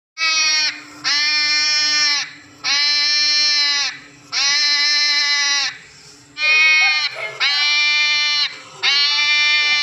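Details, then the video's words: Hedgehog crying like a baby: seven loud, drawn-out wails of steady pitch, each lasting roughly a second, rich in harmonics and separated by short gaps, with a faint low steady hum underneath. "Hedgehog making noise Crying like baby || Kanty wala choha kese ro raha"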